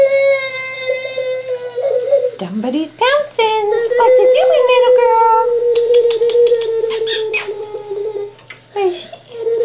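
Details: Staffordshire Bull Terrier pups, five and a half weeks old, from Jenny's litter, indoors. Long drawn-out whines hold a steady pitch, dipping and rising briefly midway. Some softer chatter and small noises sit underneath.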